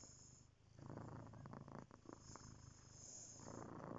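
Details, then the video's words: Cat's purr, a deep continuous pulsing rumble growing louder through the middle with rhythmic breath-driven surges, close and clear. "Magic purring"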